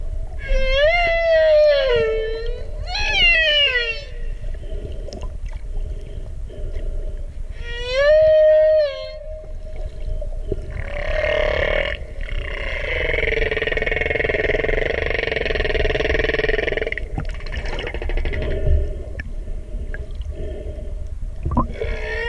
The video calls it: Humpback Whale Song